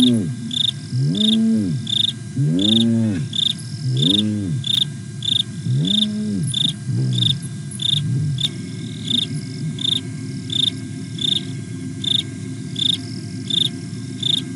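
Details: A hyena at Nkorho in the fenceless Sabi Sands Reserve beside Kruger National Park, South Africa, is contact calling on 8 September 2022. It gives low rising-and-falling whoops several times over seven seconds, over steady rhythmic insect chirps.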